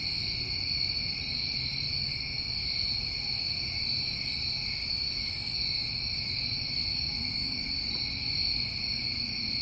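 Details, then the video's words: New England summertime crickets in a steady chorus: a continuous high shrill drone with a second lower steady band beneath, and soft higher pulsed trills rising and fading about once a second. "Over 1 Hour Of Tinnitus Masking With Crickets"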